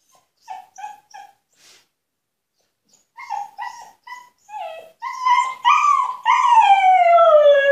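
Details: Female husky locked in an enclosure as punishment, protesting to be freed: soft short whimpers in quick sets, growing louder into insistent yelping cries, ending in a long loud howl sliding steadily downward.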